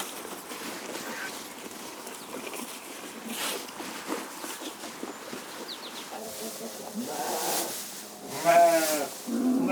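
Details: Corriedale sheep on a Canadian sheep farm: after several seconds of muffled farm background noise, two quavering, tremulous bleats sound near the end, the second louder and longer, with faint other noises underneath.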